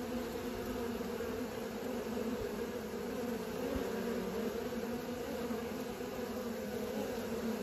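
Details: Honey bees learning to fly, giving a steady low droning hum with even tonal bands that holds unbroken for about eight seconds, with no other clear sounds.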